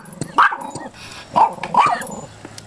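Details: Pomeranian bitch reacting furiously to the mailman at the door, running through the house: three loud, sharp barks, one then a pair, over a low indoor background hum.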